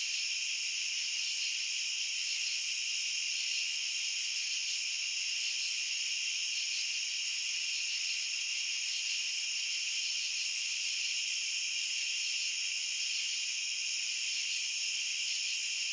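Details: Many crickets trilling together as one unchanging, piercing high drone, smooth and constant from start to finish, with faint flickers at the very top and no other noises.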